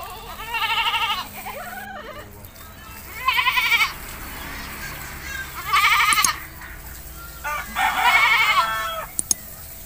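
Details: Goat being bathed in a village, giving four strong, quavering bleats about two seconds apart, each with a trembling, nasal tone, over quiet background and a few clicks.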